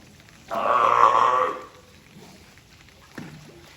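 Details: One rough, nasal bark roughly a second long from Taeko, a captive California sea lion at Tobe Zoo, Ehime, recorded 20 April 2022, followed by a brief low thud.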